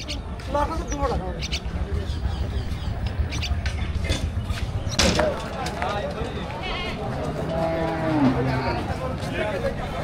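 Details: Cattle at Parulia, Satkhira, Bangladesh, the largest Qurbani cattle market in the week before Eid al-Adha 2025; a low drawn-out moo rises through steady crowd chatter and men's bargaining voices, with traffic noise behind.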